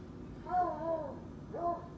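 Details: A Treeing Walker Coonhound indoors gives two wavering, drawn-out howls, working his belly up as he howls.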